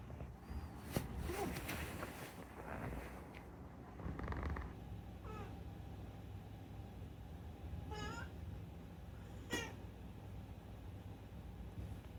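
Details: Unagi-kun, a talkative rescued pet cat, gives two short rising-falling meows near the end, about a second and a half apart, after a stretch of rustling and thumping household noise.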